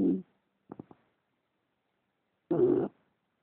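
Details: Leeloo, an English Bulldog, snoring while asleep indoors: a rough, rumbling snore at the start, three quick short snuffles near the first second, then a longer harsh snore after a quiet gap.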